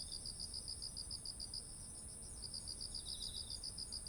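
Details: Insects calling in autumn near ripe rice fields: repeated high chirps, pausing briefly midway before resuming with a quieter trill, backed by a continuous shrill tone and faint low rumble.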